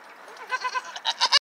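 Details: Pygmy goat, in an outdoor herd with young kids, gives a series of short, nasal, wavering bleats growing louder toward the end.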